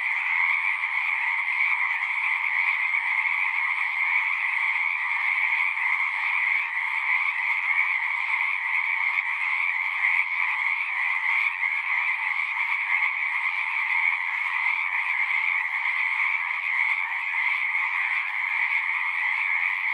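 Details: A dense chorus of many singing frogs forms a steady, unbroken wall of trilling sound in two bright bands, one high and one lower, with no pauses and no other sounds.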